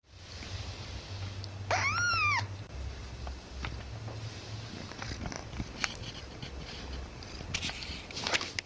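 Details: Siamese cat. A Siamese kitten keeps up a deep, throbbing purr that pulses continuously under the whole recording. Partway through it gives a brief, arched meow, and a few soft clicks and rustles follow.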